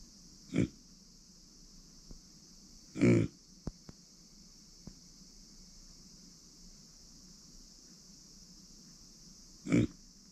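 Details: Female micro pig born September 2020, kept as a family pet indoors: three short, low grunts spaced several seconds apart over a steady high background hiss, with a few faint clicks between them.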